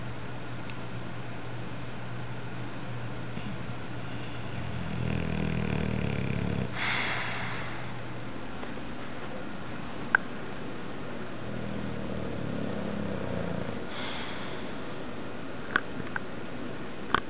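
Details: An English Bulldog, apparently dreaming, snores in slow, rumbling breaths, each ending in a rough, snorting rasp.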